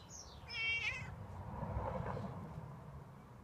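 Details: Hungry stray tomcat outside, asking for milk: a short, plaintive meow just after a brief high chirp, followed by low rumbling background noise.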